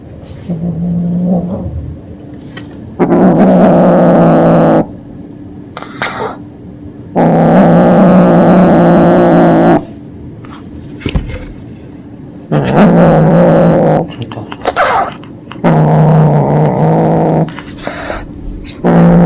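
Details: During hunting play a kitten growls over and over: five or six rough, low, drawn-out growls of one to two seconds each, broken by short pauses with small clicks and handling noises.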